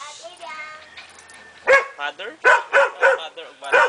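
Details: Belgian Shepherd puppy giving a run of six sharp, arched yips about every third of a second after a quiet opening with a faint voice in the background.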